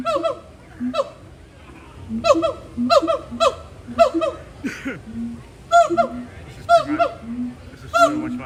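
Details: Captive gibbons calling back and forth in the morning at Disney's Animal Kingdom; honking, harmonic whoops trade with short low hoots in quick exchanges, with a brief human laugh partway through.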